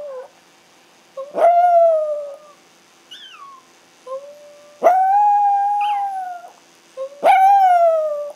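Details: Two pet Chihuahuas, Ace and Oscar, howling; Ace howls when he cannot find his mom, and Oscar is learning to join in. Three long, sustained, wavering howls with a brief higher, sliding howl between them.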